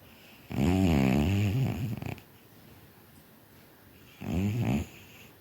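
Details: A tired, sleeping cat snoring indoors, two low rasping snores: a long one lasting about a second and a half, then a shorter one after a quiet pause.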